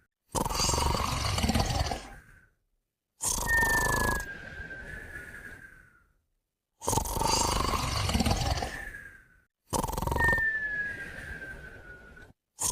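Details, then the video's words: Two dogs, Moumou and a puppy, sleeping and snoring: four loud, gravelly snores about every three seconds, several ending in a drawn-out whistle that slides gently downward before a brief silence. "Moumou & Puppy Snoring & Whistling Together"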